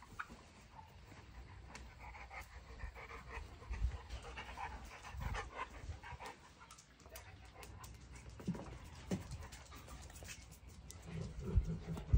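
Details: Large female Boerboel, a livestock and homestead protector, panting in rough, breathy low bursts at an irregular pace of about two per second, with scattered clicks and knocks in the background.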